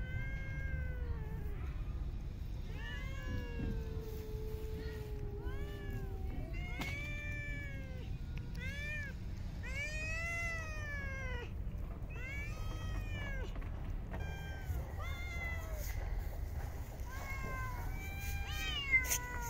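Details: Several park cats meow during feeding, a dense run of short and long meows, some overlapping, coming quickly one after another against constant low background rumble.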